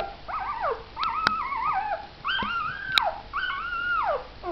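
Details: Mother dog with her four puppies: drawn-out, wavering whines or howls, three long cries that rise and hold, then slide downward at the end, with a few sharp clicks between them.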